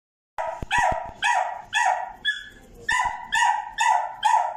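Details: Black male Toy Poodle, born September 2022, giving a run of sharp, ringing barks, about two per second, each bright and clipped with short gaps between; no other sounds.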